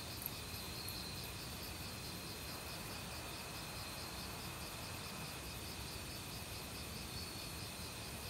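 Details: Autumn crickets calling in a forest alongside various other insects, a week into their loud season: rapid pulsed chirps repeating several times a second over a steady high-pitched ringing trill, backed by the constant rush of a mountain stream.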